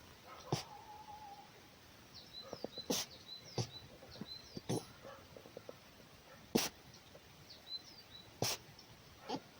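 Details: Markiza, a wild red fox, voicing displeasure and scolding: sharp, breathy, sneeze-like bursts roughly every two seconds, one brief whining tone, soft small bird chirps in the background.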